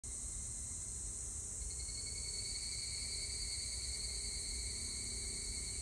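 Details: Evening cicada (higurashi) song recorded on 25 July 2019: steady high shrill insect chorus with stacked ringing tones, finely pulsed, a tone shifting higher partway through, over low rumbling background noise.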